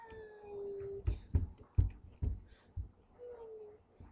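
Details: Buddy, a puppy who badly wants his toy, gives a drawn-out, slightly falling whine, then a string of knocks and thumps, and finally a second shorter falling whine. A faint steady high hum runs underneath.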